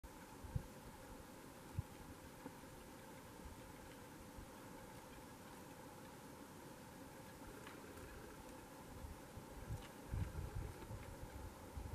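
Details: A steady low mechanical hum, like an idling engine or fan, runs throughout with a few faint clicks and no clear animal voice.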